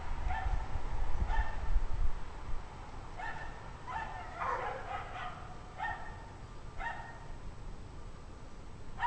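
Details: A pack of dogs barking outdoors at 5 PM on January 9, 2009, at 17 degrees Fahrenheit: distant, repeated barks, several animals, about every second, over low rumbling wind noise.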